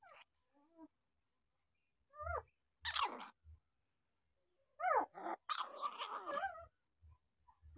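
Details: Seven-day-old puppies yelping in short, high, falling whimpers, several in quick succession near two and five seconds, followed by a longer wavering cry, with soft bumping noises below.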